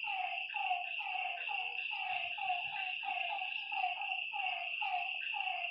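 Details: Lakeside frogs at night give rapid, sliding croaks in a thick overlapping chorus, nearly a note every half second, beneath a loud continuous insect whine.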